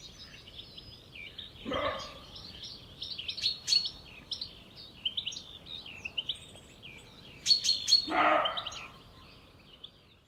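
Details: In the evening at Jantar an uneasy roe deer buck gives two hoarse, dog-like barks several seconds apart, while small birds chirp and twitter busily in the background.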